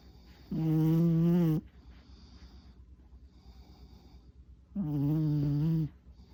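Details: Tuna, a four-year-old male Chihuahua, sleeps exhausted indoors after an hour-long walk, tongue out and eyes rolled white. Two separate droning snores, each about a second long, low and steady, with a quiet pause between them.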